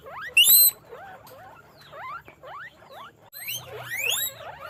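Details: Guinea pigs on a guinea pig farm squeak in quick, rising whistled sweeps, several overlapping one another.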